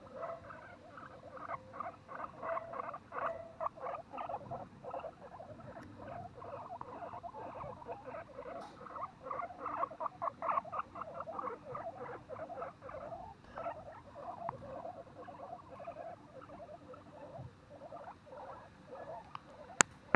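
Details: Guinea pigs (Cavia porcellus) at Okinawa Zoo & Museum, 30 April 2021, make rapid, irregular short squeaks and chirps layered with soft pattering.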